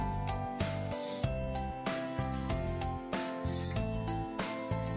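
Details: Bright instrumental music with repeating plucked chords and a steady beat; no animal sound is heard.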